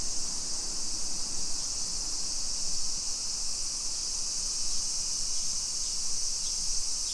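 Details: Suburban Nisshin, Aichi, Japan, 2 PM on 28 July 2021, summer walk: cicadas keep up a bright, continuous high-pitched hiss, with a few faint short ticks repeating and a low rumble beneath.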